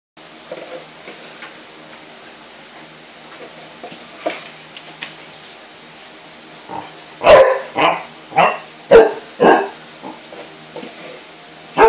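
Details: Two Basset Hound puppies, 18 weeks old, indoors and unsure about an oatmeal can. First come soft scattered yips and whimpers, then a run of five or six loud, deep barks about half a second apart.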